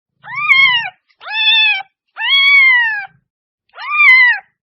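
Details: Domestic cat meowing, a sound meant to draw cats closer: four loud, clear meows, each rising then falling in an arched shape, spaced about a second apart, with a faint low purr-like rumble under the first.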